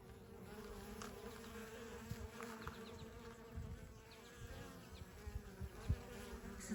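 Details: Western honey bee workers flying at the entrance of a Layens horizontal hive in Wisconsin on a warm May day, some carrying pollen; dense low buzzing of many bees, with a few louder passes near the end.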